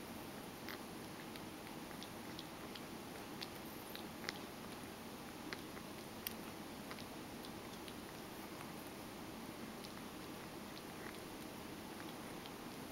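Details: Mojio, a pet Ragdoll cat, eagerly grooming its hind legs indoors in a small room: soft, faint licking and nibbling clicks scattered irregularly, a few sharper ticks standing out, over a steady low room hiss.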